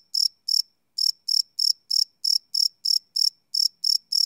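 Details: Crickets chirping after dark, recorded live on a Sony PCM D100 field recorder: two chirps, a short gap, then a run of bright, shrill pulses about three per second in otherwise total quiet.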